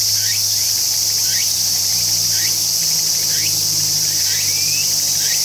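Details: A continuous piercing insect buzz from a tsukutsukuboshi cicada, with quick rising chirps about once a second and one longer upward slide near the end, over a low steady hum.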